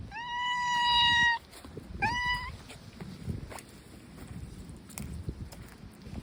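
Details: Outdoor stray tabby cat letting out one long, steady, loud meow, then a shorter rising one a second later, followed by quiet wind-filled background.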